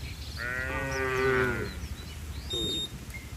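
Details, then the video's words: One tame cow among a herd running to shelter from the rain gives a higher, strained moo lasting about a second, then a short softer grunt, with faint bird calls behind it. "Suara sapi Moo"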